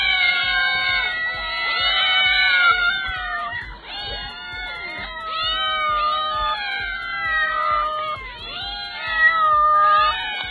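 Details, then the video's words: Domestic cats meowing in a dense chorus: many overlapping, tonal meows that rise and fall, crowding one after another almost without a break, over a steady low hum. "CAT SOUNDS"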